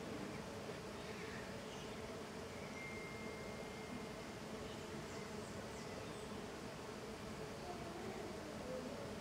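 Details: Small golden stingless bee, Tetragonisca angustula, in intense activity outside the hive: a steady, dense buzzing hum of many bees with a low droning band, unbroken throughout, and a brief faint whistle-like tone in the middle.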